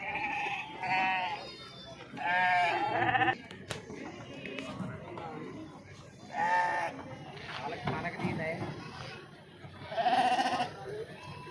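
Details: Sheep being unloaded at Pebbair sheep market: several wavering, quavering bleats in short bursts spaced a few seconds apart, over steady background chatter of people and market noise.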